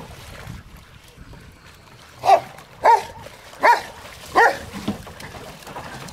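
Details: Rottweilers at play in water let out four evenly spaced barks after a quiet stretch of water noise, followed by a softer short yelp.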